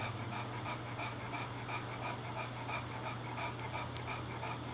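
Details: English Bulldog resting indoors with the air conditioner on, cooling down after playing outside, breathing heavily in fast steady pants about three per second over a constant low hum.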